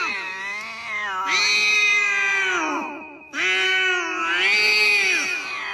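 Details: Cat uttering two long, strained, wailing meows, each swelling and bending in pitch, with the second following after a brief break.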